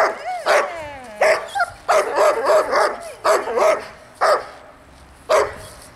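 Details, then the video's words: Dog barking during distraction training for a young dog: loud, sharp barks in short bursts, sometimes doubled, about seven bursts spaced unevenly over six seconds, with brief tonal whines between. "haukkuvan koiran häiriötreeni"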